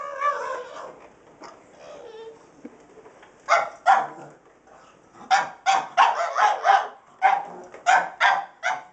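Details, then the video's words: Indoors, the pug Rosco barks and bites at a sweeper with a carpet attachment that is still turned off. A brief whine opens, followed by bursts of sharp, harmonic barks coming in quick irregular clusters. "Rosco the pug barking at the sweeper"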